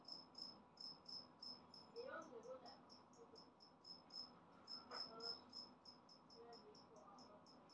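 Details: Loud, clear chirping from a recently emerged adult two-spotted cricket: bright high pulses repeated around three times a second in an even series, with a couple of soft knocking sounds in between.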